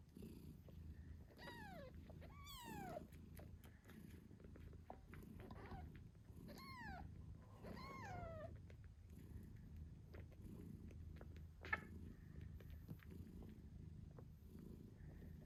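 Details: British Shorthair mother cat purring steadily while nursing her 8-day-old kittens; several high, falling kitten squeaks and meows at the start and around 7 to 8 seconds, over a continuous low purr.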